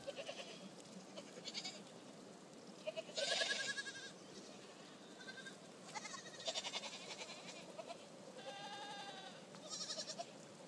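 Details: Happy goats at Lien in Øystre Slidre, Valdres, Norway; a group giving repeated quavering bleats, some loud and close, others fainter, overlapping at irregular intervals with a loud burst near the start.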